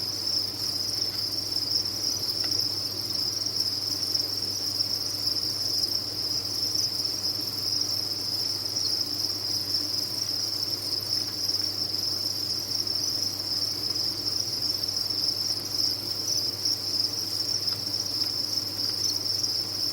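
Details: Sustained shrill chirping from a mass of farmed crickets, blending into one continuous high ring that never breaks, over a faint mechanical hum.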